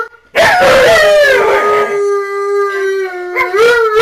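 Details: Alaskan Malamute howling while home alone, a loud sudden onset followed by a long, steady, slightly falling howl that holds level for over a second, then a brief break and a rising yodel-like note.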